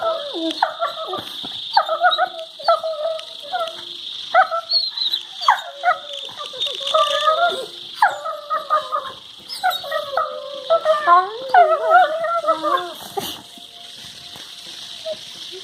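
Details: Labrador Retrievers, a pair, vocalizing during play while showing teeth, recorded February 23, 2019; rapid series of choppy warbling whines and grumbles, several per second, building in intensity then fading, with steady hiss behind.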